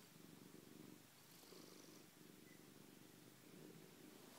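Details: Kenwai, a pet cat, purrs while greeting on returning home with vigorous head rubbing; a close, low, continuous purr swells and fades with each breath, about three cycles, in a quiet room.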